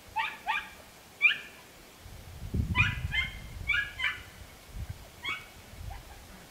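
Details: Podenco Andaluz dog, dated 3 December 2011, giving a run of high, sharp, harmonic yelps in short bursts, roughly nine over six seconds, with a low rumble of movement partway through.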